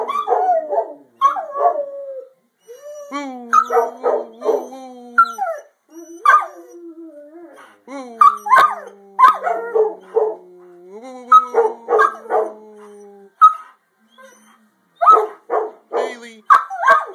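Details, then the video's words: Several dogs howling together, recorded on a phone: long wavering tones sliding downward, overlapping with bursts of yelping barks, in groups separated by brief silences. "Howling dogs"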